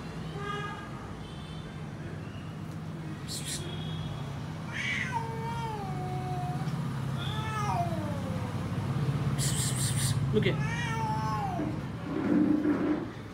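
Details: Domestic cat meowing several times, each meow a short tone that dips then falls, spaced a few seconds apart, with a person talking to it, some clicks and rustling, and a low rumbling hum throughout.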